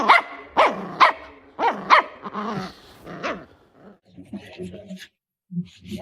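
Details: Dog from a compilation of funny, weird dog moments, giving a run of sharp harmonic barks, about one a second, followed by softer yips and scattered small sounds with short silent gaps.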